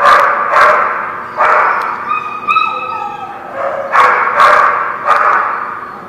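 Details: Several dogs barking at The Barking Lot, recorded 12/3/16. Sharp barks come in bursts roughly every second, with a short whining, tonal stretch near the middle between them.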